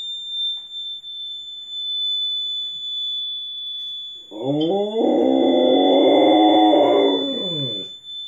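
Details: Rottweiler responds to sounds from a television by howling, with a Chihuahua joining in. A constant high-pitched electronic tone runs throughout. After four seconds a loud, drawn-out howl with rich layered harmonics swells, wavers, then falls away.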